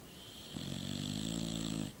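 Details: One drawn-out, buzzing snore from a sleeping dog, a steady low rattling tone held for over a second before stopping abruptly.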